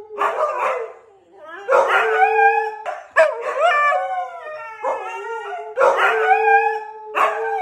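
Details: Two Siberian Husky brothers howl in drawn-out, wavering tones that bend up and down, broken by brief sharp yelps.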